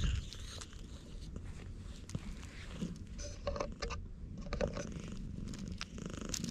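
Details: Purring of a pitch-black stray cat stroked in the middle of a road on Tashirojima island, Japan, GoPro HERO8 recording; continuous low pulsing rumble with light scratching and touching sounds.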